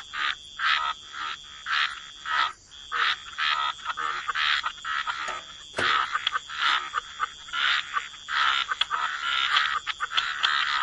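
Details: A chorus of wetland frogs by the water: short rasping croaks come in separate bursts about every half second, loud and soft calls overlapping, over a faint constant high-pitched hum.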